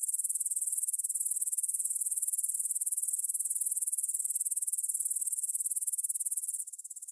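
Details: Evening meadow chorus of grasshoppers near the Svensky monastery, Bryansk, Russia, 9pm, 6 September 2020, Tascam DR-44WL stereo recording: high, fast-pulsed rasping trill, even and continuous, dropping abruptly quieter near the end.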